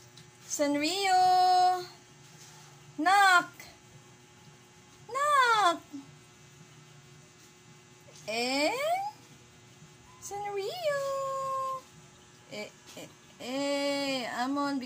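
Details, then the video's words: Male pet cat with a snippy attitude, meowing in a series of loud drawn-out calls with rising-then-falling pitch, roughly every two to three seconds across the stretch, with quiet gaps between. "Cat with a snippy attitude"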